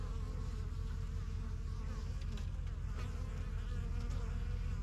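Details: Honey bees swarming around the entrance of their new yellow hive in a backyard, the strongest of the first hives begun in spring 2023. Loud, close, low buzzing with a rapid, slightly pulsing drone.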